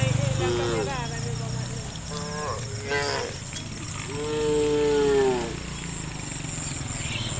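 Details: Herd of tame cattle being driven toward a farm pen: a run of overlapping moos, closing with one long, level, sustained moo, over low rumbling ground noise.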